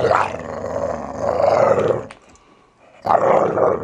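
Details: Archie, a Valley Bulldog just over three years old, growls during morning play; a long rumbling snarl lasting about two seconds, a brief quiet gap, then another harsh growl begins.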